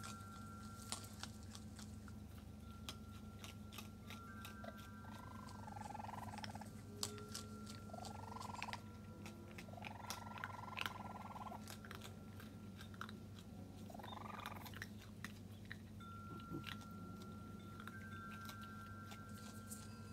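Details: Raccoon kits on their first visit with their mother Tantail, recorded 22 June 2022, chirping loudly: four short, buzzy trilled chirps, each arching up then falling, spaced a few seconds apart, over constant ringing wind chimes and scattered clicks.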